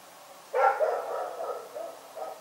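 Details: Night-time bark from Rex the dog: one loud, abrupt bark that trails off into softer, ragged follow-on sounds.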